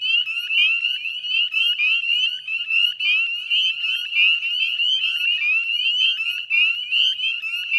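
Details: Dusk chorus of Northern spring peepers at the Chezzetcook salt marsh wetlands, Nova Scotia, Canada, recorded 18 May 2020: many piercing upslurred peeps overlap rapidly, forming a steady high-pitched wall of sound.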